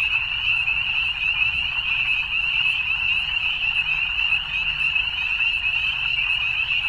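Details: Evening frogs in full chorus, a bright, tightly packed high trilling that continues without gaps from start to finish, the only clear sound present.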